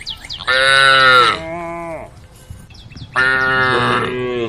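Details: Cows in a herd on the road calling: two hoarse, fairly high, bleating moos, each about one second with a trailing lower tail, separated by a quiet gap.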